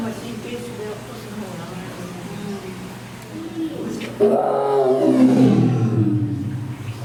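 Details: Amur tiger, also called Siberian tiger, roaring: after several seconds of low murmur and faint voices, a loud rough roar swells up and slides downward, lasting about two seconds before fading.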